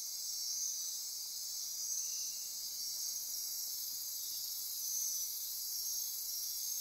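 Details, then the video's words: Nocturnal insect chorus, Osa Peninsula rainforest near Corcovado National Park, Costa Rica, after dark: a steady wall of high buzzing and ratcheting trills with brief thin whistled notes drifting in and out. "Midnight Insect Chorus"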